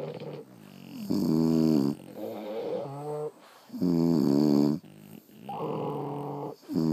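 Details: Sleeping French Bulldogs snoring indoors at home: loud, rasping, harmonic-rich snores rise and fall in long drawn breaths of about a second, separated by short quieter pauses, with a softer wheezy inhale between the main snores.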